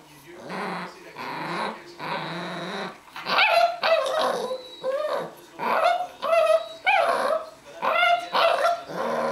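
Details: Miniature Pinscher stealing a bone from a Doberman: low rumbling growls, then a run of sharp, rising yelping barks roughly every second, with a voice heard between them.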